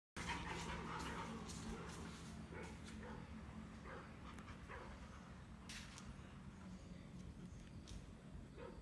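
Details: A dog reacting to hearing barking sounds gives short, sharp barks over a steady low hum and background noise.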